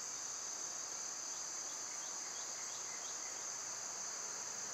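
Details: A steady, piercing, high insect drone of summer cicadas fills the whole stretch, with a few faint short chirps drifting beneath it.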